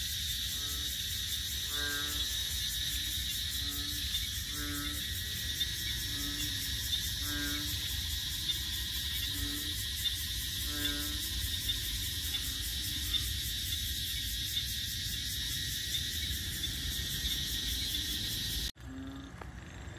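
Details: ['At Bình Quới, a wetland on Thanh Đa island in Ho Chi Minh City, frogs call in short, rich, nasal croaks. The croaks are repeated irregularly for about twelve seconds over a constant shrill insect drone, ending in an abrupt cut.']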